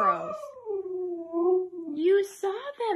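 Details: Husky Mika protests indoors after an outing with squirrels: a low, sagging howl that wavers and slowly drops, then a brief upward swoop, before a woman's voice cuts in.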